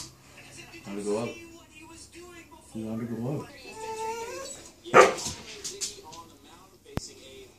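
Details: A pet dog 'talking' to demand her kibble right after a huge bowl of rice and turkey: drawn-out, wavering, yodel-like moans in three bursts with bending pitch, then a sharp clatter and a softer whine.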